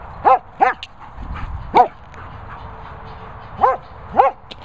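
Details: German Shepherd, a female at training and boarding kennels in the Worcestershire countryside, gives short high arched yelps, two quick ones, a single, then two more over about four seconds, with faint background hum.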